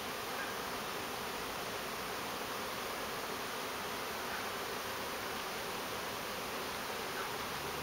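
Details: Bees in a large swarm become airborne within seconds, leaving a backyard fig tree. A dense, hissing, continuous buzz fills all eight seconds with no breaks.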